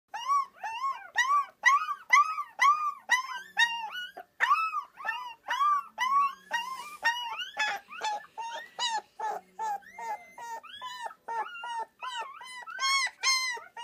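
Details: A Rottweiler puppy, recorded in 2013, howls in a fast series of high, arching yelps with clear overtones.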